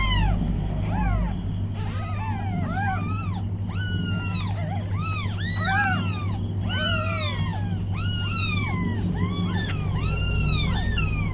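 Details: Tiny meows from newborn kittens beside their nursing mother: a continuous chorus of high, arched mewing calls, many overlapping, against a constant low electrical hum.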